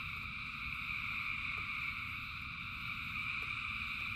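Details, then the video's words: Short stretch of a rain-soaked frog chorus: a constant, piercing multi-layered trill from countless frogs over low, rumbling rainfall and a few faint clicks. "Frogs in Rain 2 Hours of Frogs, Thousands of Frogs Singing"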